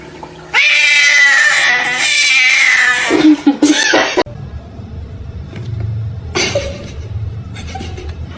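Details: Pet cat from a funny compilation letting out a loud, harsh, drawn-out caterwaul lasting several seconds and ending in a lower drop, followed by quieter room noise and short bumps.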